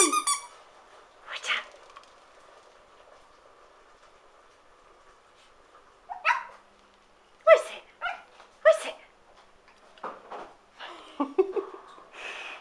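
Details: Teddy, an 11-week-old Shih Tzu puppy, cross with his igloo: scattered sharp, high yapping barks in short bursts separated by quiet pauses, with some household rustling.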